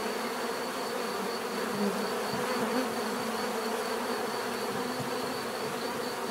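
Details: Bees buzzing continuously, a dense steady hum with many overlapping wingbeat tones and brief louder passes of single bees drifting by, plus a faint constant high whine throughout.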